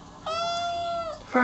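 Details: Kitten meowing: a single steady, level meow of about one second, then a sharp louder onset as another sound begins at the end.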